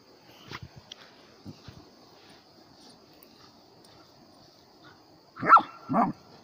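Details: German Shepherd barking twice in quick succession after several seconds of faint low rustling and soft knocks.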